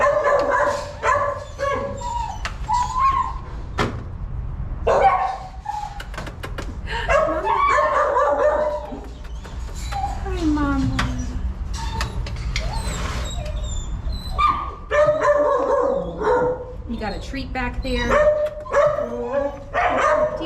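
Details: Dog named Jubilee with her puppies: high whimpering whines and short yips come in bursts throughout, some rising and falling tonal whines, over a low steady background hum.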